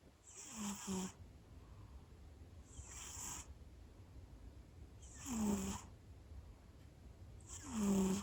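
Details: Sleeping house cat that began snoring loudly just after going to sleep. Four noisy, wheezy inhalations with a low vibrating rattle, spaced about two and a half seconds apart, over a soft background hum.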